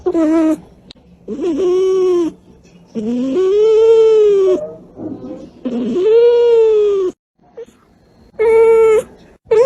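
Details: Cat voicing its emotions in a live recording: a series of long, wailing, harmonic-rich meows, some near two seconds long, repeated every couple of seconds with brief quiet gaps.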